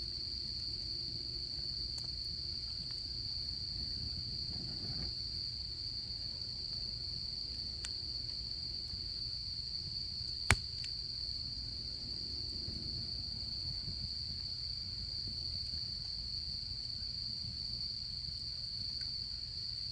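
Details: Steady high trilling of autumn insects at a fall campsite, unchanging for the whole stretch, with a low murmur from the campfire and occasional crackles, including one loud pop.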